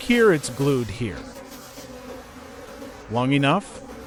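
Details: Wild bees at a late-season honey harvest deep in a forest: two buzzing flybys, each a swooping harmonic drone whose pitch slides as a bee passes close, over a faint steady background hum.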